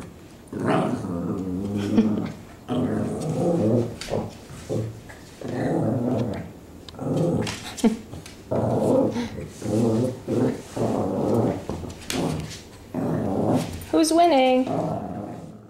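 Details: Two Shih Tzus, rescue dogs awaiting adoption, wrestling together indoors. Rough, throaty growls come in repeated bursts about a second long with brief gaps, ending in a higher, strained whine-like growl.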